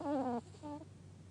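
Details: Gaku, a pet dog sleeping comfortably, snoring: a loud wavering whistle-like tone sliding slowly downward for under half a second, then a shorter, softer wavering tone, in a quiet indoor setting.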